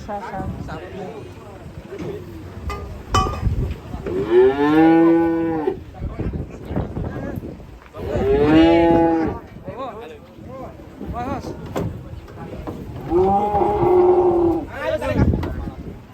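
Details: A raging cow or bull bellows three times, long harmonic moos spaced about four seconds apart, with clanking and knocking sounds in between.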